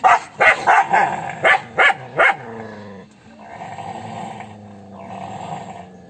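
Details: Angry dog giving a fast run of seven harsh barks in about two seconds, then a long low rumbling growl that carries on to the end.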